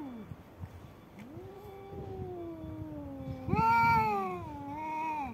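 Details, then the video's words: Two domestic cats, one white and one black, fighting: low drawn-out moaning growls with slow pitch bends, rising into a louder harmonic wail near the end, over faint background rumble. "One of the strongest fights between two cats, the white cat and the black cat"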